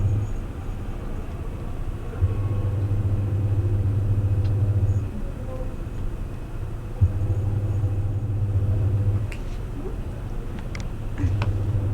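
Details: Low engine rumble with steady humming bands and a few faint clicks, like a vehicle idling or passing nearby; no animal voice is heard.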